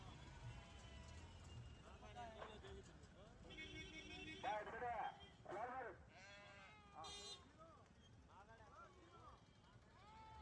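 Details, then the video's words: Rams at a large ram market in the Telugu states, several bleating in wavering, quavering calls one after another amid steady crowd chatter, talk and vehicle noise. "రెండు తెలుగు రాష్ట్రాల్లో అతిపెద్ద పొట్టేలు మార్కెట్"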